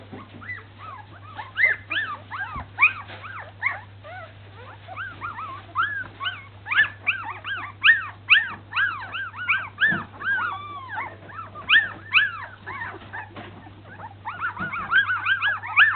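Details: Baby Samoyed puppies taking their first wobbly steps; many overlapping high, arched whimpers and squeaky yelps pour out nearly continuously, roughly two per second, over a steady low hum.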